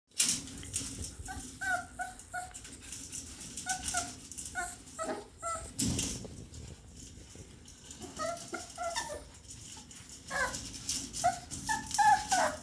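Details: Puppies eating and very busy indoors, giving short high whimpers and squeaks in scattered bursts of two to five notes, with rattling and knocking sounds in a small room.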